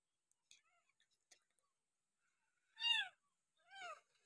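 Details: Abandoned village kitten, dumped by its owner beside a house and taken in, now on its sixth day of bottle-feeding with milk: two clear, high meows, each arching up then falling, about a second apart, after faint soft clicks and rustles.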